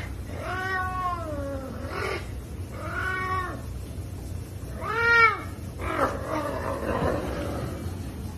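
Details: Savannah cat, described as aggressive and energetic, calling while eating chicken: three drawn-out, arching meows with rich harmonics, each about a second long, then a rougher, noisier call near the end over a low steady hum.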